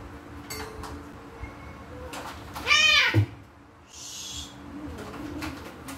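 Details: House cats fighting as they wait for breakfast: one loud, drawn-out meow with a wavering, bending pitch, followed by a brief hiss-like burst of noise amid light household clatter.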